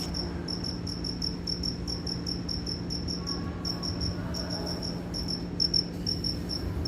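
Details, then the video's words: Steady cricket chirps, high and bright, repeated several times a second in near-continuous runs, with a low constant hum underneath and a few soft knocks near the end. "Efeito sonoro do Grilo cri cri"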